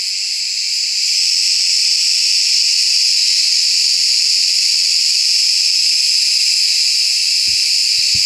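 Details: Summer cicada, called Ağustos Böceği, in wooded country where it sings almost nonstop through the hot day; an unbroken, shrill hissing buzz that rises slightly in the first second and then holds steady, with a few faint low knocks.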